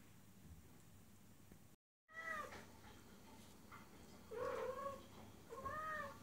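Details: After a brief dropout, a female cat in heat gives three wavering, moaning meows to a male outside, the later two louder, over a steady hiss of background noise.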